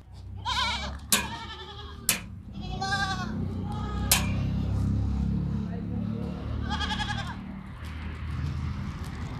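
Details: At Pooja Goat Farm, Pushkar, Ajmer, Rajasthan, Sirohi goats give a few tremulous bleats spaced a couple of seconds apart. Loud clacks and knocks sound between the calls against a constant low-pitched drone.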